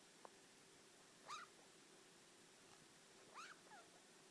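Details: Four-year-old pet degu named Yui muttering: two short, quiet, wavering chirps about two seconds apart, each bending up then down, over a faint steady hum.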